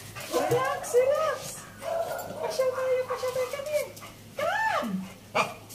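A Chow Chow whines in long, wavering, high-pitched tones, excited to go for a walk.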